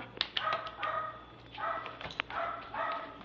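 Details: A three-year-old male Pomeranian/Maltese mix dog, playful, gives a run of sharp, high yapping barks in quick bursts, several in each volley, with a low steady hum underneath.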